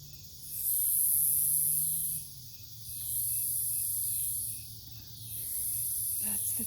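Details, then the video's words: Nocturnal cicadas in woodland near an Omaha, Nebraska farm, 08 03 2021: long, shrill, buzzing bursts lasting about two seconds, fading between waves, over a low hum and a brief thump near the end. "Forest near the farm at night, cicadas"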